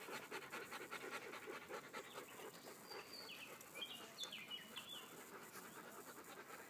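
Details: Beauceron from a small pack walking in the forest, panting rapidly in rhythmic breathy puffs roughly twice a second; a few short chirping bird notes come through midway.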